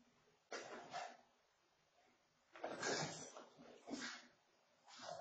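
A Boston Terrier gives short, breathy snorting bursts, each lasting about half a second.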